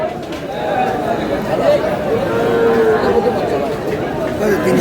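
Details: Dairy cow with calf at Aftabganj livestock market, Dinajpur, Bangladesh, letting out a drawn, level moo partway through amid loud chatter and bargaining voices of the market crowd.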